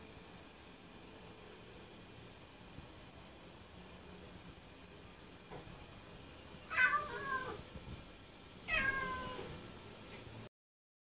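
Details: Sokrates, a pet cat, indoors near a bathroom palm tree he wants to eat, gives two short rising-falling meows a couple of seconds apart after a quiet stretch of room hiss.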